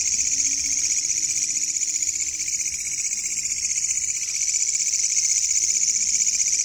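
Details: Katydid calling loudly at night while insects are hunted: a dense, continuous high-pitched buzzing trill, strongest very high with a second band lower down, steady and unbroken throughout.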